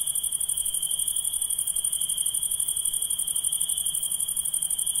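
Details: Night-calling insects produce a continuous piercing trill, finely pulsed and unwavering, layered with a thinner very high shimmer; nothing else stands out.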